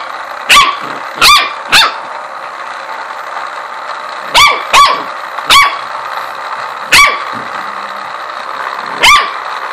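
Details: Blix, a corgi, barks at a ladybug massager it does not like. About eight sharp, high barks come singly and in pairs over a steady background hum.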